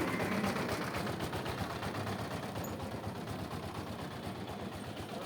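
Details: Dense engine-like rumble with rapid rattling pulses throughout, like a running vehicle, and no clear animal voice.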